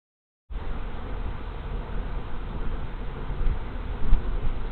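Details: Large swarm of honey bees taking over a vacant hive, 24 March 2023, mid-afternoon; after a brief silence a steady, deep, rumbling drone of many wings begins and continues evenly, with a few louder low thumps near the end.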